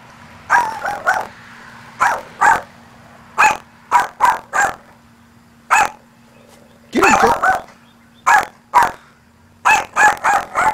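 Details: Maltese dog Luci, inside a church, barks at her reflection as if at another dog: bursts of quick high yaps, often in pairs or threes, with a brief growly flurry near the middle and a faint steady hum behind.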